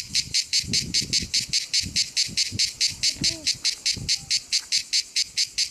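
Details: A cicada at the Rocher du Sampzon, Ardèche, sings in rapid, evenly spaced buzzy pulses, high and hissing in tone.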